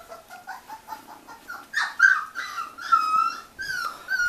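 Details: Miniature Australian Shepherd puppies give soft, rapid whimpers that swell into longer, clear, high whines and yips, some sliding downward, repeated irregularly across a few seconds.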